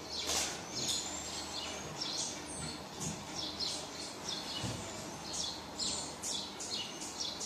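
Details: A baby marmoset cries for its mum with quick bursts of thin, high chirps and short squeaks in uneven clusters over a soft background hiss, plus a few low knocks.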